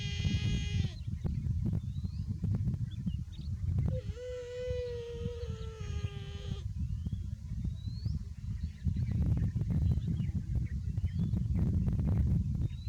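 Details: Overheated buffalo calf bleating: a brief cry at the start, then a longer nasal call of about two and a half seconds with a steady, slightly falling tone, over constant low rumbling noise and faint bird chirps.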